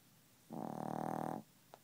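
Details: A Chihuahua snores in its sleep and won't wake up. A single rattling snore of about one second, steady and buzzy with fast flutter, then a brief faint click.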